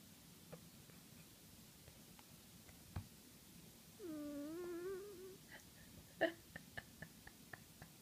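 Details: Snoring in his sleep, the cat Max gives one long, wobbling, whistle-like nasal note lasting over a second, followed by a series of small clicks and taps in a quiet room.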